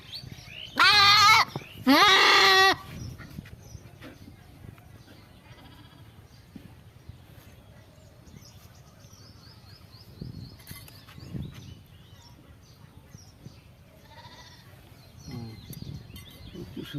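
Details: Goat during castration, giving two loud, strained, harmonic bleats close together near the start, each about a second long. The rest is quiet background with faint rustling and a few soft knocks.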